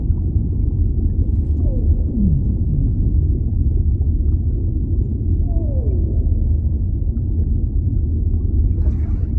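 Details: Whale calls in an underwater ambience, heard as a few downward-gliding moaning tones, one short and one longer, rising out of a steady, deep, rushing rumble of water that fills the whole recording.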